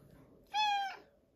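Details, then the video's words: Morning meow from Pebbles, a female house cat, very vocal while asking to be fed breakfast. One steady, strong, harmonic-rich cry holds an even pitch for about half a second, then fades with a slight downward tail. "Breakfast time for Pebbles. Very vocal this morning."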